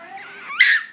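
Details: A 10-week-old male Chihuahua puppy named Sugar objects to his jacket: a brief thin whine climbs steadily, then breaks into a sharp, squeaky, breathy yelp at the end.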